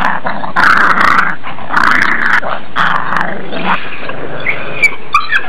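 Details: Two puppies play-fighting, attacking each other in play; rough, noisy growls come in bursts about once a second, three main bouts, followed by brief higher squeaky yelps near the end.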